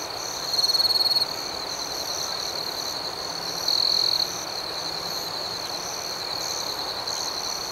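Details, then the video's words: Crickets at night chirping in a dense, steady chorus: a continuous high trill with a faster pulsing layer above it. Two louder, sharper bursts of trilling stand out near the start and again around the middle. "Soothing Cricket Sounds"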